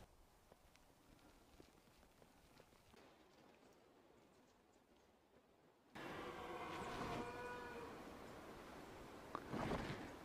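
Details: A red deer stag roaring from thick timber on a mountain skyline in New South Wales, Australia, during the rut at midday. It lets out a deep, drawn-out roar after a quiet, breezy start.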